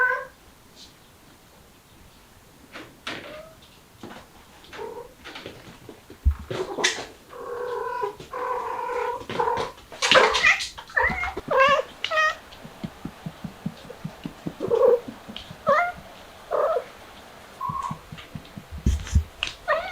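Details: Mother street cat with kittens trying to get out through a window: many short meows and chirping calls crowd the second half, mixed with clicks, knocks and thumps from movement indoors.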